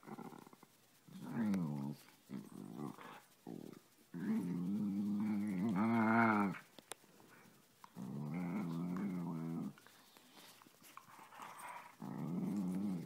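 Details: Two Siberian Husky sisters growl, grumble and yowl in drawn-out, wavering bursts while play fighting, one punishing the other for sitting in the owner's lap.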